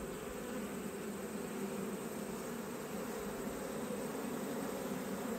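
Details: Dense, loud wash of honey bee buzzing during an autumn beekeeping inspection, a thick unbroken hum filling the whole stretch, almost noise-like.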